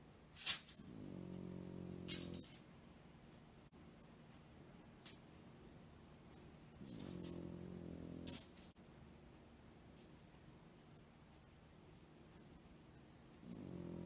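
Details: Pekingese dog sleeping soundly indoors, curled up, breathing noisily like a person: low, rough, harmonic snore bursts about one and a half seconds long, recurring roughly every six seconds, with quiet breathing between and a faint steady hum.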